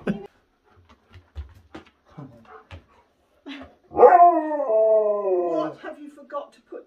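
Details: Husky playing with a companion indoors, scattered soft clicks and small yips, then a loud drawn-out harmonic howl lasting about two seconds that wavers and fades; a person speaks briefly.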